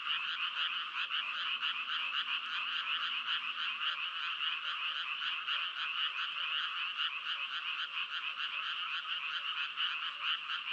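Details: Continuous croaking from frogs, a harsh pulsed trill repeating several times a second without pause for the whole stretch, dense and even, no other animals or noises standing out.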